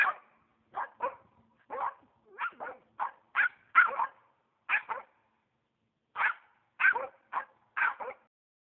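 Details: Squirrel-hunting Norrbottenspets in Oregon on private land barking rapidly: short sharp yaps in quick pairs and runs, roughly sixteen across the stretch, with a brief pause near six seconds.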